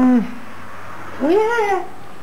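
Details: Šarplaninac puppies about five and a half weeks old, born 2 February 2012 in the Czech Republic; a short falling whine followed by a longer rising-then-falling whimper indoors.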